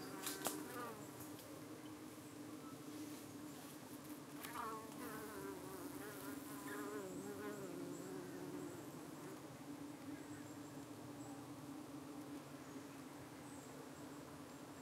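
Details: Evening scene at a UK hive where bees defend against darting parasitic-looking flies: a sustained low honey bee hum, an early sharp knock, then several wavering, swooping buzzes of passing fliers before the drone settles again.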